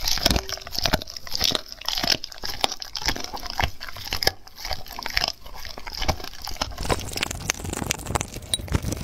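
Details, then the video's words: Close-up chewing of raw food by a dog. Irregular crunching and tearing bites are followed near the end by a denser, continuous crackling stretch. "Dog Eating Raw foods"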